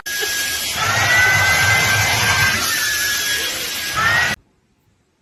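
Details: A steady drill-like whirring noise with faint gliding tones runs for about four seconds, then cuts to near silence, with no animal voice heard.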